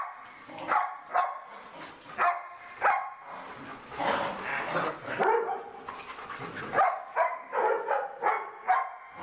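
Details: Dog at play with a bird, giving bursts of short barks at irregular intervals; a person talks over the middle stretch.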